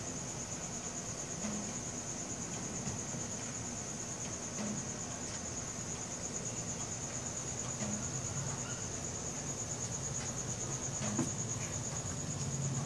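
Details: Night cricket chorus captured with a Samsung Galaxy S4 phone: one continuous, rapidly beaded high-pitched trill holds evenly from start to finish, with faint low hum and scattered soft clicks beneath.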